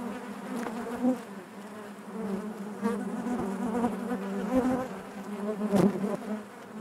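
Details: Inside a honey bee hive: many bees produce a constant droning hum, layered tones rising and falling gently, with brief louder surges when single bees fly near.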